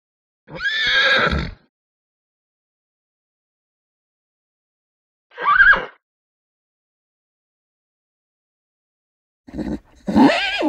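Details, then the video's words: Pony, a small horse, giving three separate neighing calls spaced several seconds apart with silence between, each a short harsh whinny, the last broken into two bursts. "PONY VOICE | HORSE | WHINING | NICKERS | CRIES | NEIGH"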